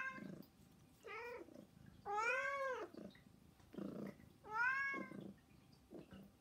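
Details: Three pet cats, Saba, Hana and Mizore, begging loudly at home with no background music. Drawn-out, wavering meows, the longest nearly a second, come with shorter cries and soft grunts between them.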